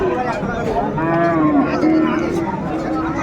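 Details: Cow with calf at Ambari cattle market, Dinajpur, 15 April 2024: a drawn-out, steady, harmonic moo lasting about two and a half seconds, with busy market chatter and crowd noise throughout.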